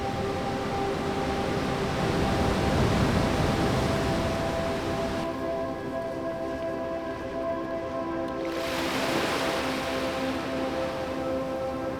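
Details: Sustained ambient music tones over a washing surf-like roar, with no animal voice audible.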